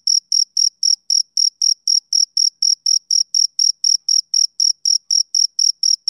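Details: Rhythmic chirps from a male cricket, sharp thin pulses coming roughly four per second at constant volume, nothing else audible in the background.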